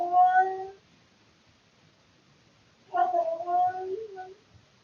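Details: Male domestic cat at night, around 3 to 4 am, giving two harmonic meows, the second wavering and longer, over a quiet background hiss in a room.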